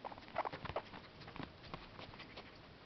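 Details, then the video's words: Female guinea pig eating parsley: rapid, crisp crunching and chewing clicks in a steady, busy patter close to the microphone. "Guinea pig eating parsley"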